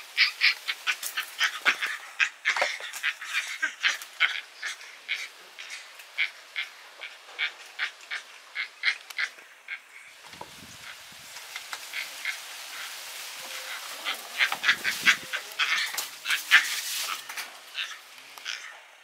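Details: Rescued baby Yucatan black howler monkey yelling in anger at other rescued monkeys: a rapid run of harsh, high squealing cries, several each second, easing near ten seconds before a second louder burst of crowded squeals.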